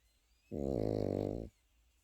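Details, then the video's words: Sleeping Pekingese puppy snoring: a single one-second snore, a throaty, evenly pulsed rattle with a low buzzing tone, starting abruptly and ending just as suddenly, then quiet. "패키니즈 코고는 영상"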